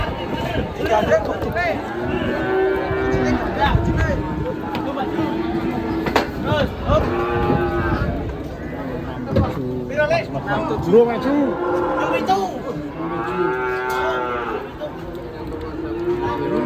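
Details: Big fattened cattle coming down from a truck to be weighed in Indonesia give repeated long, wavering moos, several overlapping and rising then falling, with crowd voices, music and clapping around them.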